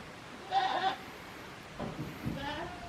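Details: Young goat kid Daizu at Yoshigake farm, a handmade goat ranch in Japan, filmed on 24 March 2021 in spring weather; one clear quavering bleat, then softer bleats, with faint background noise.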